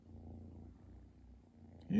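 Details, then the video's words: Indoor purring from Chi, a cat enjoying a Christmas present: a soft, even, low-pitched rumble that pulses steadily, ending in a brief louder rising sound. "Chi's Christmas present..turn up volume for purring"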